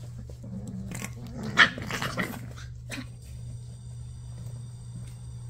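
Rottweiler puppies give short, rough growls and scuffling yaps as they play-fight, over a steady low hum.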